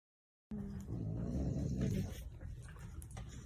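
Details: Pet Boxer dog in a home, heard in a compilation of funny boxer sounds: a low, rumbling grumble of about one and a half seconds that rises slightly and then fades, with faint room noise after.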